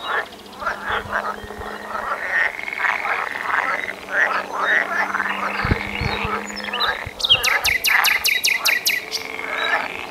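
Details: Chorus of frogs giving rapid rattling croaks in uneven overlapping runs, with a low steady hum beneath and a quick series of crisp high clicking pulses in the last three seconds.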